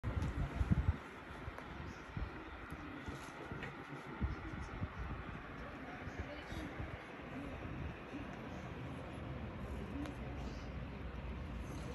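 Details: Quiet indoor rumble and faint muffled voices, with a few soft knocks near the start and no animal call.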